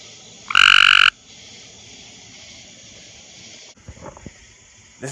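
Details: A male Cope's gray treefrog (Hyla chrysoscelis) gives one short, harsh, fast-pulsed trill to attract females, calling on a humid, muggy night in a backyard near a small pond.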